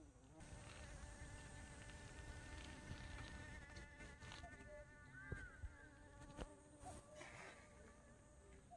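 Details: Bumblebee flying, heard as a thin, steady droning buzz beneath rustling background noise, with scattered sharp clicks and taps.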